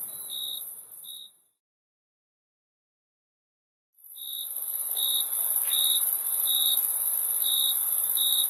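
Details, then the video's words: Crickets chirping: short, shrill chirps broken by a silent pause of about two and a half seconds, then resuming in quick regular pulses roughly every half second to one second over a constant very high-pitched hiss. "Crickets Chirping Sound"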